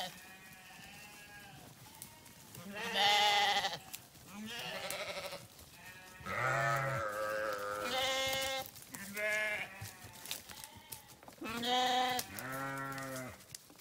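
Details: A flock of sheep bleating loudly and often, calls overlapping in quavering, nasal bursts of one to two seconds, some high-pitched, others deeper.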